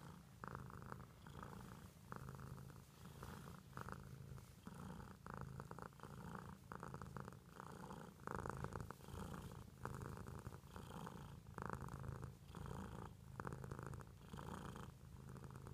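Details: Long, steady purring from a domestic cat, a throaty rumble rising and falling in regular breath cycles roughly once a second, sustained for over fifteen seconds, with faint rustles and movement noise.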